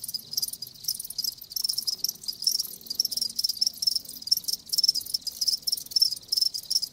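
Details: Chorus of live crickets, many overlapping high-pitched chirps pulsing rapidly and almost without pause, faint low rumble underneath.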